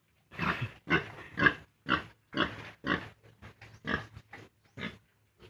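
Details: Piglets aged 32 days, weaned from the sow on a farm, grunt in a steady string of short rough calls, about two per second, fading to softer grunts toward the end.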